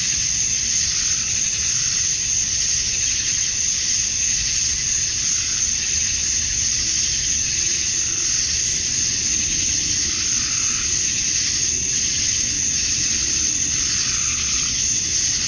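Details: Male cicadas chorusing at summer dusk in Georgia, USA, calling to attract females: a dense, steady high-pitched hiss with a sharp whining band on top, unbroken throughout with faint pulsing swells, and a low rumble beneath.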